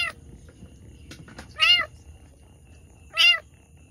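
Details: Domestic cat in labour, giving birth to two kittens, utters two loud arched meows about a second and a half apart with rich harmonics, plus a softer cry at the start and faint background hum.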